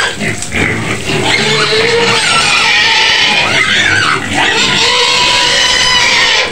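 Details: Shrill, continuous screaming from a white pig kept in a pen near Medan, Indonesia: a sustained high squeal with wavering pitch lasting the whole stretch, with only brief dips in loudness.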